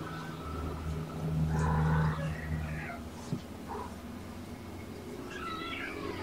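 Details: Sleepy kittens of Mama Olympia, a surrendered litter born November 22, being held and petted on an afternoon of February 13, 2018. Several brief harmonic mews, one rising then falling near the end, over a steady low hum and faint background voices.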